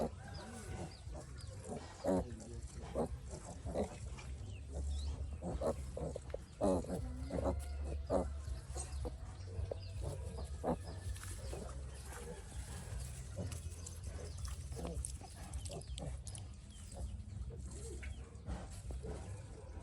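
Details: Ailing piglet, sick since young, producing a run of short low grunts clustered in the first half, then quieter snuffling, against a continuous low-pitched background hum.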